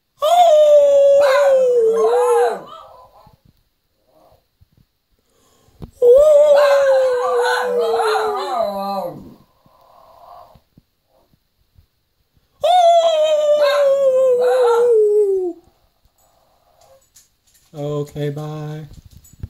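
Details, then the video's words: Shih Tzu dogs howling at home, recorded on a phone: three long tonal howls of about three seconds each, roughly six seconds apart, each starting high and sliding slowly down, with a short lower sound at the end. "My shih tzu's Howl"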